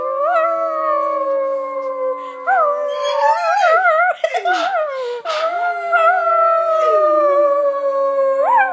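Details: Several dogs, a greyhound among them, howling together in response to a started howl: long sustained tones with sliding, wavering pitch overlapping throughout, some voices rising and falling near the end.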